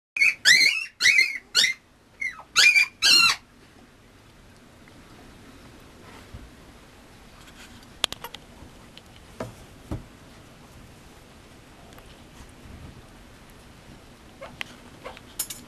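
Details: Male Mame Shiba Inu puppy at a breeder's, giving about six short, high, squeaky whines in the first three seconds, then a quiet room with faint clicks and small taps.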